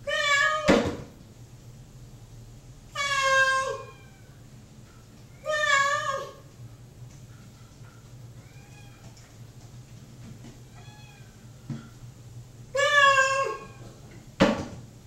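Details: Indoor cat Mocha, kept apart from the other cat at feeding time, meows repeatedly while awaiting dinner: four loud, wavering meows spread over fifteen seconds. Softer, distant meows come between them, plus sharp knocks.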